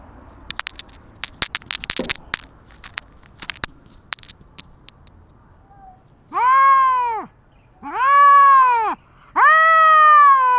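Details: Stray cats squaring off, a tabby against a white cat called Dabai: several seconds of scattered clicks and crackles, then three loud, even yowls, each swelling and falling, spaced about a second and a half apart.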